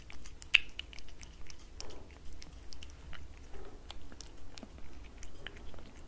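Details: Domestic cat eating wet cat food from a glass table, close-miked for ASMR: quick, moist clicking and smacking chews in uneven bursts of about two per second, over a steady low indoor hum.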